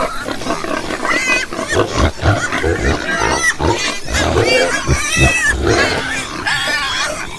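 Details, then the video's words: Crowd of pigs giving shrill rising and falling squeals and rough grunts, overlapping calls with brief pauses between loud bursts. "Ouça o som dos porcos - Porco - porco roncando - som do porco"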